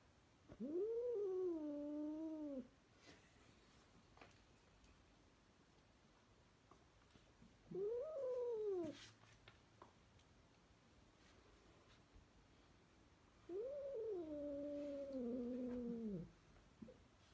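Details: Pet cat calling indoors with three long wavering meows about six seconds apart, each rising then sagging in pitch, the last lower and more drawn out, in an otherwise quiet room.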